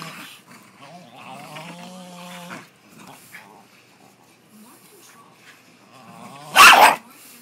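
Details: Rat Terrier, disturbed while lying in bed, growls and snaps at a Jack Russell during rope tug play; a drawn-out tonal growl, quieter rumbling, then one loud, abrupt snap near the end.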